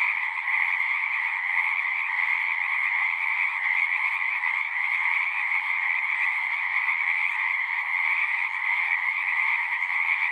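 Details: Many frogs singing together at a pond in a horse pasture, recorded on a Zoom 6: a dense, unbroken trilling chorus with two steady bands, one mid and one higher-pitched, holding constant throughout with no pauses.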